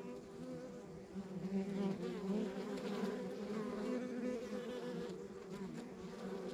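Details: Hive of honey bees in a rural backyard: continuous layered droning with a low fundamental and bright harmonics, gently rising and falling in loudness as bees fly near.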